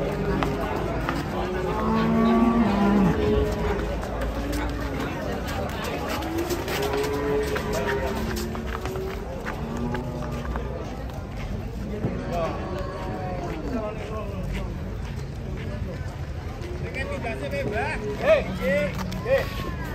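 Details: A group of cattle unloaded from a truck, worked up and unruly, low moos recur on and off through a long stretch, mixed with men talking and shouting and general yard noise.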